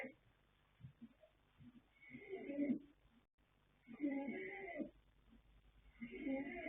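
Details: Asleep, the young colt Yanta, a Fast Force son out of Pink Blossom born 21 January 2026, lets out hoarse snoring breaths, three grating pulses separated by one to two seconds of near silence.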